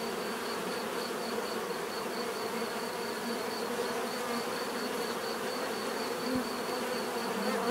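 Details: Dense, even hum of bees buzzing in nature, several overlapping drones at different pitches, with a soft pulsing high tone and a short thud near the end.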